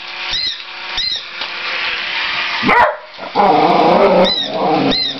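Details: Two whippets playing with a mechanical cat, one of them barking and yelping: a sharp burst followed by a longer rough, harmonic bark run, between repeated electronic meows from the toy cat about every half second.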